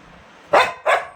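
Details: A Labrador Retriever gives two short, harsh barks in quick succession, about a third of a second apart, over a quiet indoor background.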